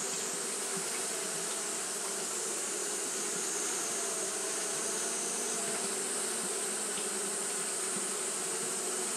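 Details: Japanese honey bees fanning through a hot day: a continuous, even droning buzz with low layered tones and occasional faint ticks, backed by a persistent high hiss.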